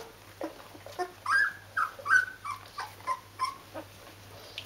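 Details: Rhodesian Ridgeback puppies of a D-litter, 14 days old, with their mother: high squeaky whimpers and squeals, rising then falling, about a dozen in under five seconds, in a quiet indoor room.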